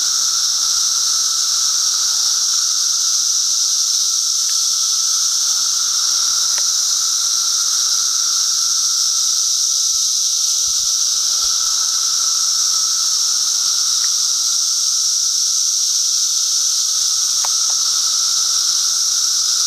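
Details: Continuous dense drone of a massed periodical cicada chorus during the Brood XIV emergence at Foster Joseph Sayers Lake, Bald Eagle State Forest, Pennsylvania, a piercing even whine layered over a lower steady hum, with faint clicks.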